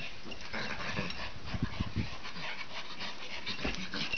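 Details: Two Norwich Terrier siblings, a female roughhousing with her brother; steady low growling and snorting bursts, rough and rapid, with occasional brief higher whines over the rumble.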